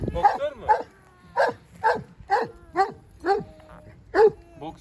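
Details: Kangal shepherd dog on a farm in Turkey, barking in a steady series of short, rough, harmonic barks about every half second, with quieter voices in the background.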